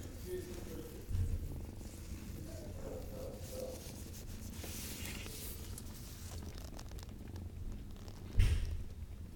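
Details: A cat purring with a steady low rumble, broken by two brief louder thumps, while a person talks softly to it.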